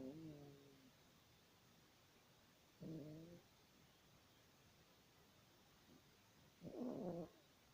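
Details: A snoring Yorkshire Terrier gives three separate breaths of nasal, tonal snore with stacked overtones, spaced roughly three seconds apart. The last is louder and rougher, with near silence between them.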